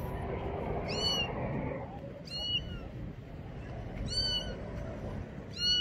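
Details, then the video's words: Scared small kitten afraid of the bathroom meows for help: four thin, high mewing cries with bright overtones, spaced irregularly, over a low rumbling background and a brief muffled noise at the start. "Little Kitty Afraid of Bathroom Meows for Help!"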